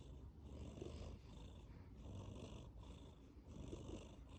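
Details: Sleeping tabby cat purring and snoring: a low, rumbling purr that swells and fades with each breath, roughly every one and a half seconds, with a faint hiss of breathing above and no other sounds.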